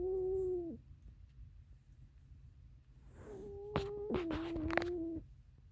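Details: Sleeping cat named Oreo snoring, giving a steady whistled tone that drops at its end, then after a pause a longer wavering whistle overlaid by sharp clicking rustles, over a low indoor hum.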